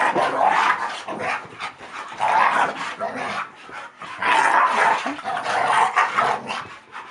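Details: Kasper and Zoey, a Staffordshire Bull Terrier and a Collie cross, wrestle roughly in play, Kasper being the vocal, snarly one; loud throaty growls arrive in three long surges.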